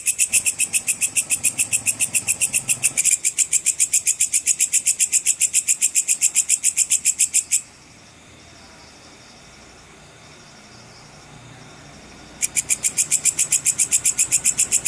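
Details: Sword grasshopper, called belalang pedang cicir, whose sound serves for training contest birds: bright, high, buzzy pulses repeated about six times a second, broken by a brief hitch, then a pause of nearly five seconds with only faint hiss before the buzzing resumes.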